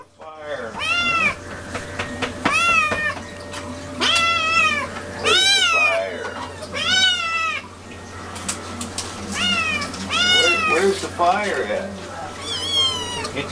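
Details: Domestic cat meowing insistently, apparently for food, with loud arched, wavering meows repeated roughly every one to two seconds, some rising then falling, while a person talks softly to it in the background.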